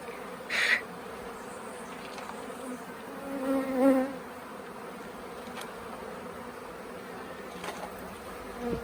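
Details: Swarm of bees at the Tamarind Tree Hotel, late in the year, being coaxed into a nuc box; a steady low hum of many wings carries throughout, with a couple of brief louder bursts near the start and middle.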